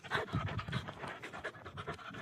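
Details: Rocky, a Belgian Malinois, panting steadily in quick rhythmic breaths, roughly four to five airy huffs per second with breathy broadband bursts, a faint voice in the background.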